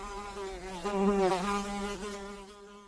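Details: Flying blow fly giving a continuous humming buzz that swells louder around the middle, dips briefly in pitch, then steadies and fades slightly toward the end.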